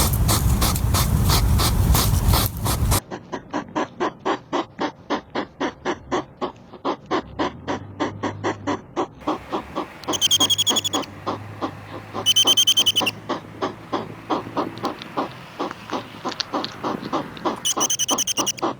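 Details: European hedgehog (Erinaceus europaeus) on a summer night in a garden: a brief rushing hiss, then rapid, repeated, almost mechanical sniffing while foraging.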